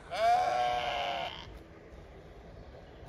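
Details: Deep-voiced male Zwartbles lamb on a County Kilkenny farm in Ireland, calling in search of his mother: a single strong, harmonic-rich bleat lasting over a second, slightly rising at its start, then fading into quiet background noise.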